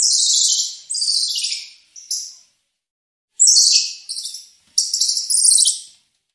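Squirrel monkey giving very high, shrill chirping calls that sweep downward in quick bursts.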